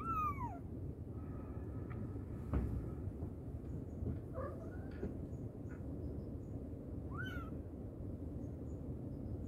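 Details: Mother cat calling her babies, giving a falling meow at the start and another short descending meow about seven seconds in, with soft faint sounds between them and a steady low hum throughout.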